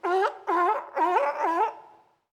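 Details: Four drawn-out, nasal honks from a sea lion, each with a dip-and-rise pitch contour and heavy overtones, the last fading into a trailing hum.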